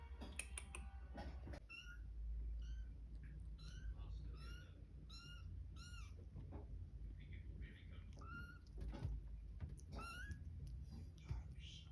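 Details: Cat with kittens indoors: a busy run of short, high, arched mews, many overlapping and repeated quickly across the whole stretch, over a low background rumble.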